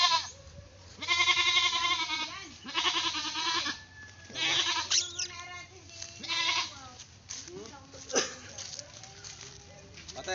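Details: Pet goat, called playful and pesky, bleating repeatedly: a run of four or five shaky, nasal cries about a second apart, with softer bleats and human voices mixed in between.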